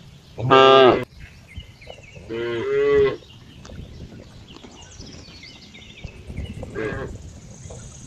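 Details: Cow mooing in a short, funny-sounding call: a loud harmonic moo lasting about half a second, a second drawn-out lower moo near two to three seconds, then a fainter short moo near the end; faint background birds.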